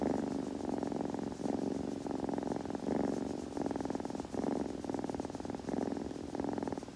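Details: Kitten purring while grooming, a steady close-up rumble pulsing in long breaths with short dips between each, soft and continuous in a quiet room.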